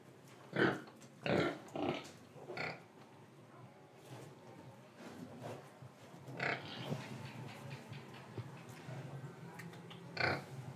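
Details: Pig in Indonesia, oinking, breathing and eating: a few short, rough grunts close together early, then scattered softer snorts and a single louder grunt near the close over low background rumble.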